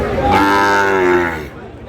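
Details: Mooing Sahiwal cattle at a twice-weekly Bangladeshi cattle market, Ambari haat in Dinajpur, where bull calves are bought; one drawn-out, rich harmonic moo lasting over a second, rising slightly then falling, before fading into crowd chatter.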